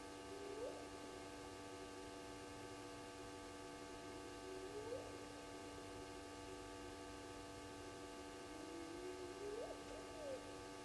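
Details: Spotted hyenas call at 02:35 on 29 May 2020 at Gowrie dam waterhole, Djuma Game Reserve, Sabi Sand, South Africa, after a lone hyena walked by: distant short rising sweeps every few seconds over a steady electrical hum.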